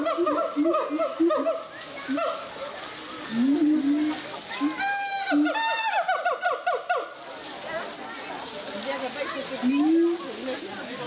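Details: Gibbons at the Zoo de Doué la Fontaine in 2010 giving scattered hoots and rising whoops, with a fast climbing trill in the middle and a lone rising hoot near the end.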